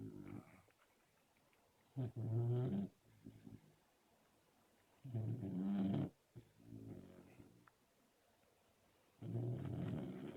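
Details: Labrador Retriever asleep and snoring, with low grumbling snores every few seconds, some short and some drawn out, separated by quiet pauses.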